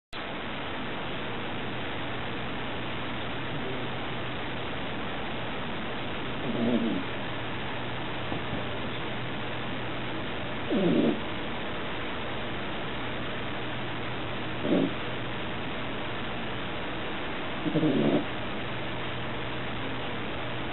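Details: A sleeping pet dog, the loudest snorer of four dogs in a household, snoring: four low, rough snorts about every four seconds over a steady hiss and low hum.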